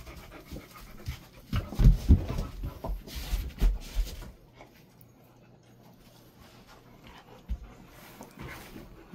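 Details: Golden Retriever resting in a cool air-conditioned room kept at 20 to 22 degrees, at about 400 metres elevation; rapid, breathy panting pulses for the first four seconds, then quieter low rumbles and soft movement noises.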